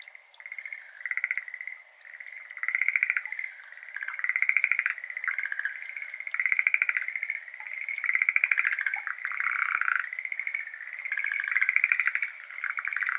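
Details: Dense evening chorus of Schlegel's green tree frogs in a water-filled iris garden in Japan, 17 May 2022; loud, rattling trilled calls rise and fall in repeated waves of about two seconds, with scattered clicking water drops.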